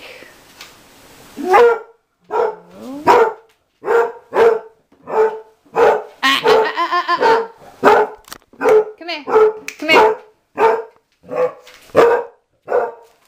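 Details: Mamie, a six- or seven-year-old former outside dog learning to live indoors, barks over and over in a small room, sharp tonal yelps coming roughly twice a second, with a person's coaxing voice in between.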